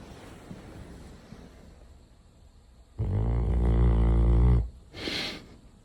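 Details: A large retriever snoring while asleep at home: after quiet room hiss, one loud, low, rasping snore lasts about a second and a half, rough and droning, followed by a brief breathy hiss.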